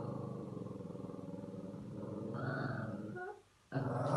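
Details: Shih Tzu dog growling while playing with a new pillow; a steady low rumbling growl for about three seconds, then a louder, higher snarling burst, a short silence and a final growl.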